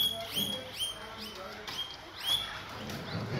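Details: Repeated shrill upward-sweeping squeals from guinea pigs getting guava, about four or five sharp wheeks spaced roughly half a second apart, with soft background murmur.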